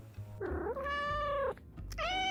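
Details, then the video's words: A domestic cat gives short, rising, chirp-like trills, a friendly greeting or way to get attention. "this cheerful sound often described as a Trill or chirp is a friendly greeting or a way for your cat to get attention"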